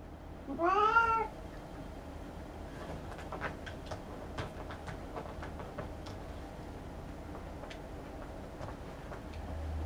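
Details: House cat reacting to a fish-shaped silvervine toy: one brief, rising and falling meow near the start, followed by rustling, scratching and soft clicks against a low background hum.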